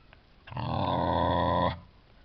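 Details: Tibetan Terrier puppies of the C litter, born July 11, 2012, at a kennel in Hungary, out of Ch Gold Jack' Daw Berta by Ch Araki Incognito; one steady, low, growl-like grunt of about a second, rich in overtones, in quiet surroundings.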